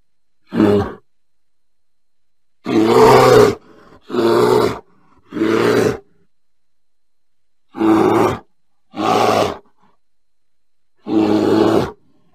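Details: Bear uttering seven hoarse roaring bursts in loose clusters: a short opening grunt, three close roars, a long pause, then two more and a final one, all over silence.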